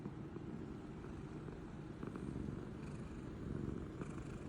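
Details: A pet cat asleep and snoring, a steady low rumbling breath sound running throughout with faint background hum.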